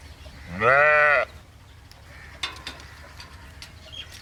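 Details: A single sheep gives one loud, rich baa lasting about half a second, rising then level, followed by quiet background noise and faint clicks.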